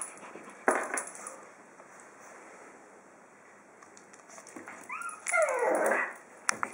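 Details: Pug at home on day 20 with his new dog tag; near the end a short, high, falling whine with a few wavering notes, among scattered clicks and knocks.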